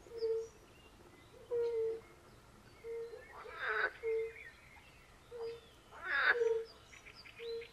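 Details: Chorus of European fire-bellied toads with some pool frogs at a forest pond in Poland: soft, low, pure hoots repeated about every one to one and a half seconds, with harsher croaking bursts of other frogs and faint birdsong behind.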